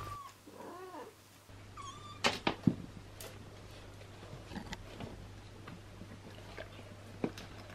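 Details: Domestic cat household indoors with mother cat Tessa, a long-haired British breed, her three kittens and an abandoned kitten: a quick run of short arched, harmonic mews in the first second, followed by scattered clicks and handling noise and a low steady hum.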